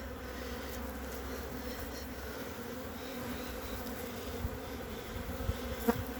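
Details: Bees of a small honey bee colony occupying three frames, recorded 14 February 2021 during fondant feeding, giving an even, continuous droning hum with stacked overtones and one sharp click near the end.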